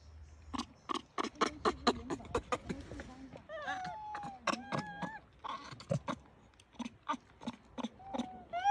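A baby monkey gives a rapid series of short grunts, then higher squeaky, wavering coos.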